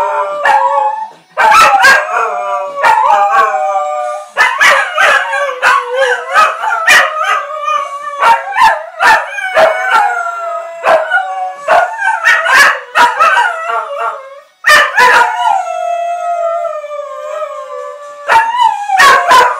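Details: Two Cocker Spaniels howl in long, wavering, sliding tones, singing along to Guns N' Roses' "Sweet Child o' Mine" with sharp drum hits.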